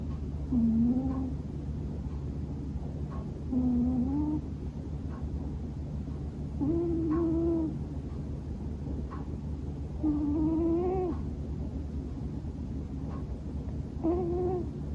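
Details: Sleeping male Scottish Fold house cat snoring heavily: five tonal, humming snores roughly every three seconds, each rising a little and sounding almost like sleep-talking, with a constant low electrical drone beneath.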